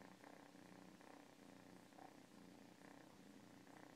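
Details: Cat purring up close, a thick buzzing rumble rising and falling with each breath, roughly one cycle per second, nothing else audible.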